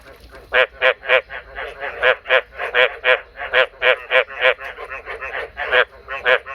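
A male frog gives quick, nasal croaking notes, roughly three or four each second in an uneven run.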